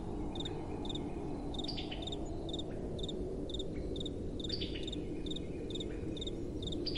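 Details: Night crickets over soft blowing wind: evenly spaced high chirps, about two each second, with short bursts of extra chirping from a second caller now and then. A soft, steady wind bed runs beneath.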